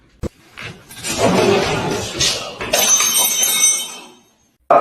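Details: Indoor speech mixed with glass shattering and clinking, with faint music, then a brief silence before a sharp sound at the end.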